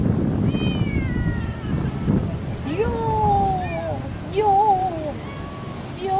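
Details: Male domestic cat kept in a warm part of Asia, called roaring: a series of drawn-out harmonic meows, each sliding downward, the last ones wavering, with low background rumble throughout.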